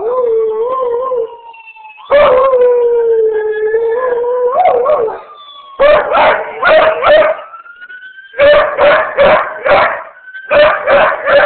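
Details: A beagle/shepherd mix howls long and mournful at ambulance sirens, then breaks into rapid pulsed baying as a siren wails faintly behind.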